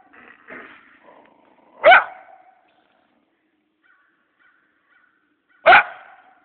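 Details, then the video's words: Scruffy coyote caught on Malcolm Farm, a killer of wildlife and farm animals, giving two sharp, explosive barks about four seconds apart, with faint low murmuring before the first and near silence between. "Malcolm Farm Coyote (scruffy)"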